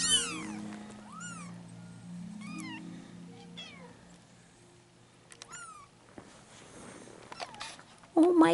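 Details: Three-week-old Bengal kittens, a litter of four, with their mother; repeated thin, high mews that rise then fall, several in quick succession, over a low steady hum, ending in a loud bump.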